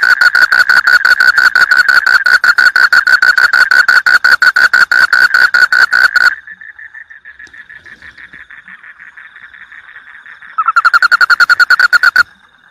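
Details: Bangkong, a toad, calling actively: a loud, fast, rattling train of evenly spaced pulses with a bright ringing tone runs for about six seconds. A softer, steady purring trill follows, then a second short loud pulsed burst.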